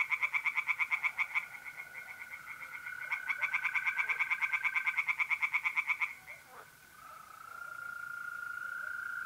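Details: Pond-dwelling tree frogs calling by night in April, North-East Italy: two bursts of rapid rattling croaks, then quiet, while the even trill of mole crickets carries on alone.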